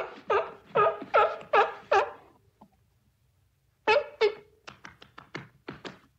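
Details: Short, punchy sea lion barks from a beach recording: five rough honks about every half second, a silent gap, then a second run of quicker, clipped barks fading toward the end.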